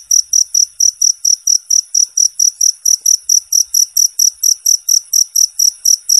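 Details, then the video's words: Cricket recorded as a training tutor for competition songbirds: clean, clear high-pitched chirps, pulsed steadily about twice a second in an even, unbroken run, with a quiet background. "suara jangkrik bersih dan jernih"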